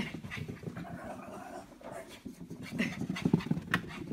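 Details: Female Shih Tzu running zoomies in a basement exercise area: rapid, breathy panting in quick uneven pulses, with a person's voice urging her on.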